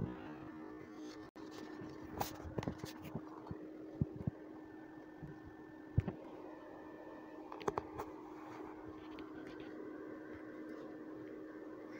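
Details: Low indoor hum with scattered knocks, taps and handling thumps, and no animal calls.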